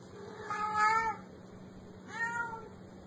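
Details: Kitten producing two plaintive meows, the first longer and louder with a wavering pitch, the second shorter and softer, over a low constant hum.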